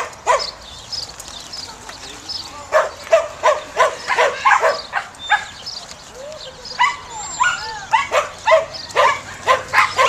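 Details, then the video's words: Samoyed dog at a herding event, barking in quick irregular volleys of sharp, harmonic barks, about a dozen spread over ten seconds, with a faint low hum beneath. "Samoyed Dog Herding #2"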